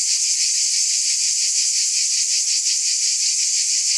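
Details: Chorus of cicadas giving a continuous high, sizzling buzz with a soft rhythmic pulsing roughly three beats a second, unbroken and level in volume, nothing else audible.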